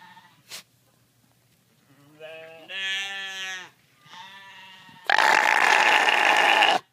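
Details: A sheep belches. Two harmonic, bleat-like groans are followed by a loud, rough, noisy burst lasting nearly two seconds. The background is otherwise quiet.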